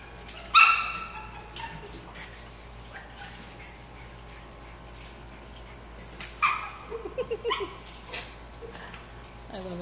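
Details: Norfolk Terriers playing in a pool, two sharp high barks about six seconds apart, the second followed by quick yips, over a steady low hum with water sounds and people talking.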